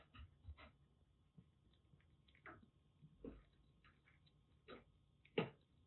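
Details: Rescued Siamese mix kitten, formerly a stray, at a Kagoshima kitten nursery during its shampoo and bath time indoors; short, sharp cries burst out at irregular intervals, about five across the stretch, the last loudest, over a quiet room background.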